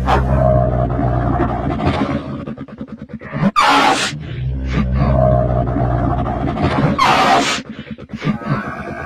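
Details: Deep, rumbling camel groans with a throbbing, pulsed quality, interrupted twice by sharp breathy hisses, then resuming in a low guttural drone.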